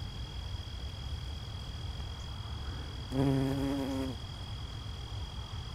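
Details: Near Cedarburg, Wisconsin, on 14 September 2020, a bumblebee pollinating and tunnelling into a bottle gentian flower for nectar gives a low, even buzz for about a second, then stops. Faint high tones and a soft rumble sound beneath.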